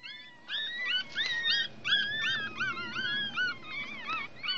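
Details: One-week-old Chihuahua puppies drying in the sun make high whistled squeals that rise and fall. Several voices overlap in quick bursts, a few each second, with soft rustling underneath.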